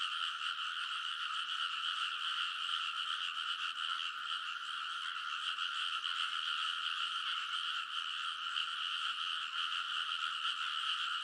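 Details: Early-summer midnight frog chorus at a rice field in Konosu, Saitama, Japan: countless overlapping croaks merge into a continuous pulsing drone, slightly rising and falling in intensity, with no birds, people or traffic heard.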